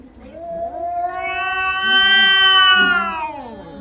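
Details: A single drawn-out caterwaul from two female domestic cats fighting, rising from a low moan into a loud, bright, strained scream that holds and then fades, with a low growl underneath.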